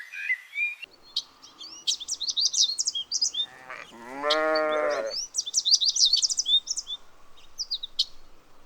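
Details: Young lambs grazing in a cool green forest: one wavering, nasal bleat lasting about a second in mid-clip, surrounded by rapid high-pitched chirping and twittering of forest birds before and after.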